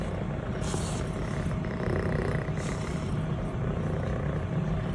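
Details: Six-month-old Scottish Fold kitten Elle, a brown tabby and white longhaired female, purrs as she is stroked indoors; an even, deep vibrating hum with a couple of brief brushing rustles.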